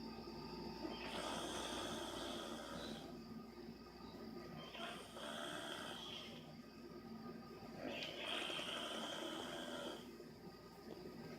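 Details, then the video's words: Angel Bear the dog snores once more in steady cycles: coarse, buzzing drawn-out breaths returning about every three to four seconds, each carrying a thin high whistle, with only brief dips between. "Angel Bear snoring again"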